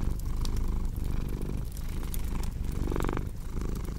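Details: Low continuous purr of a house cat, its breathing rhythm less even here, overlaid by crackling fire pops and a brief brighter rustle near the three-second mark.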